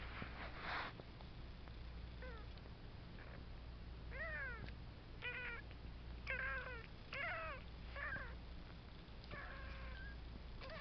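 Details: Three-week-old foster kitten Cheeto, from a litter of kittens living indoors with their mother, cruising on first wobbly walks; a run of piercing, bending mews, several in quick succession, with handling rustle and a low background hum.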